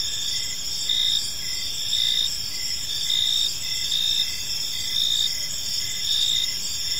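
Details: In a park as evening falls, a chorus of crickets keeps up shrill steady trilling while louder chirp bursts recur roughly every second, over a quiet low background hum.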